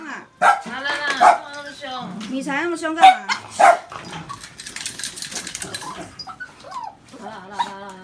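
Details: White Shiba Inu in Taiwan scolding a visitor who has just come through the door; sharp barks mixed with higher yelping whines, with human speech in between.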